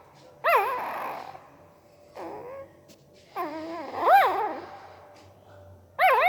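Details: Puppy making weird noises with its mouth while sleeping: short wavering yelps and whimpers that swoop up and down, coming in bursts with quiet gaps, some softer and breathy, indoors.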